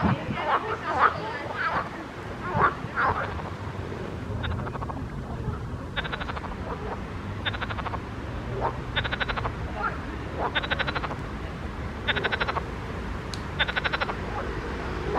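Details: Frogs in a pond: after some scattered, indistinct noises at the start, short rattling croak bursts repeat at an uneven pace over a low rumbling background.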